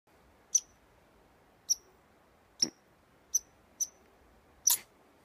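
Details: Squirrel sneezing at Tor Bay Provincial Park, Nova Scotia, Canada: six short, sharp, high-pitched bursts spaced about a second apart, the third and last harsher and fuller, against a quiet background.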